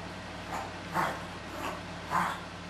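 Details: Chihuahua puppies from two litters, 13 and a half and 10 weeks old, playing together in a carport; two short, bright yips about a second apart stand out over softer scuffling sounds and a steady low electrical hum.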